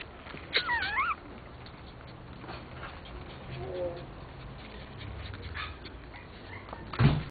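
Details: A Pomeranian puppy from a litter of miniature-type Pomeranians gives a brief, high, wavering whine that rises and falls, followed by quieter whimpers.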